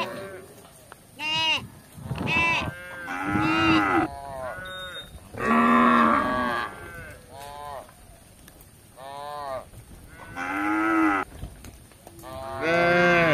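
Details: Tame cattle wandering a village looking for grass, mooing in short and long bursts: arched, strongly harmonic calls of changing pitch from several animals, spaced by brief quiet spells, with a steady high hum in the background.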